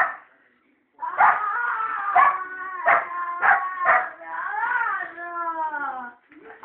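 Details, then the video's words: Angry female Cocker Spaniel giving a run of harmonic barks and yelping cries, roughly one per second, ending in a drawn-out wavering whine. "La Cocker furiosa !!!!!"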